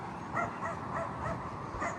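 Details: On a hot, windy summer daytime walk through a neighbourhood, a dog barks in the distance, short yappy notes over the steady hum of an air conditioner.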